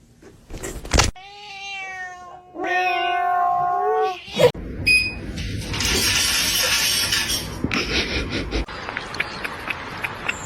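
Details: Domestic cat giving two drawn-out, wavering meows with rich overtones, followed by a crash and a long rustling clatter, with people talking nearby.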